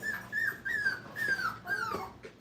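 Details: A five-week-old Brittany puppy at a training kennel, among a litter at play, cries in four drawn-out, high whines that each dip gently downward, one after another with short breaks, in a quiet indoor setting.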